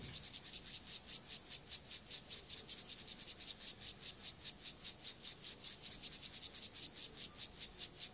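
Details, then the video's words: Sexual behaviour song of Gomphocerus sibiricus, a grasshopper; dense, regular rasping strokes high in pitch, around five per second, loud and continuous without pause over eight seconds. "Sexual behavior • comportamiento sexual • grasshopper • saltamontes • Gomphocerus sibiricus"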